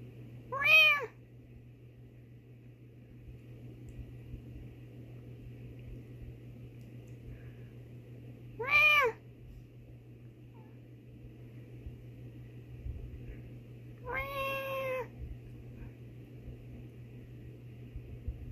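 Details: Female domestic cat meowing in reply to her owner's meows: three separate rising-then-falling meows spaced several seconds apart over a quiet, low steady hum, the last one longer and more drawn out.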